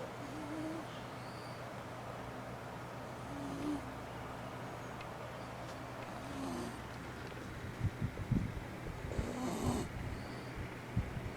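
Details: A Shiba Inu snoring while sleeping with its eyes open on a hot summer day; soft nasal tones recur every few seconds over a steady low hum, with knocking thumps near the end as the camera gets bumped.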